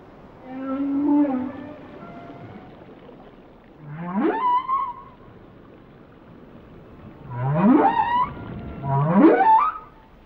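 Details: Singing whale with a low held hum followed by sharp upward swoops that leap into bright, warbling tones, the last two swoops close together, set against quiet water background.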